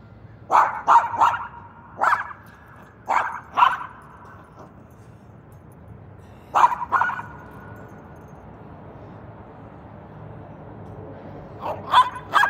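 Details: Pet dog barking at passing cars while its owner exercises in the morning: uneven runs of sharp barks, often paired, spread through the recording with quiet gaps between bursts and low background hum.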